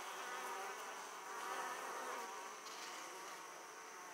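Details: Italian honey bees at an opened hive, returning with large loads of pollen; dense, steady droning buzz with layered humming tones, slight swells in loudness, many bees overlapping continuously.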